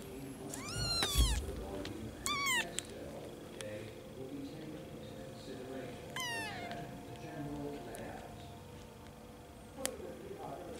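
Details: Young kittens that have just opened their eyes, sleeping in hands; a few thin high mews, each a quick rising-falling squeak, spaced irregularly, with faint background hum and a sharp click.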